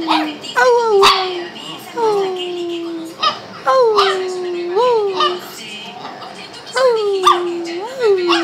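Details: Shih Tzu dog vocalizing with drawn-out, tonal whines that start high and sag downward, some ending in a small upward lilt, repeated about every second or two with quiet gaps between.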